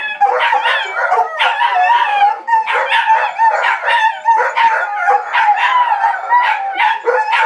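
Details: A quartet of four dogs howling together, a dense chorus of overlapping wavering howls with steady tonal lines and bursts of yips, barely pausing throughout.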